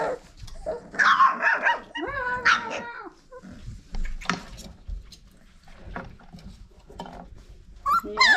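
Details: Five-week-old Old Family Red Nose Pit Bull puppies from Abby and Ragnar's litter give bursts of high, tonal yips and whines, with a loud cluster early on, quieter scattered squeaks after, and a final sharp yelp.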